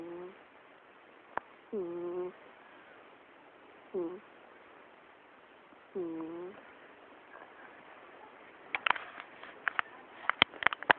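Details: Sleeping cat snoring, recorded on an Android phone: three rough, voiced snores with arched, stacked tones, about two seconds apart, in a quiet room, followed by scattered clicks and tapping noises near the end.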